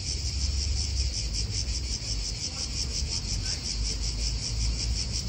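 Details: Steady shrill drone of cicadas filling an Italian park, finely pulsed, with wind and a low rumble of nearby cars underneath.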